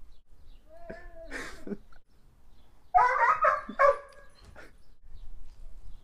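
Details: A shy seven-month-old red Doberman Pinscher with docked tail and uncropped ears barks in short, loud bursts, some rising into whiny, tonal yelps, while a person talks between and around the barks.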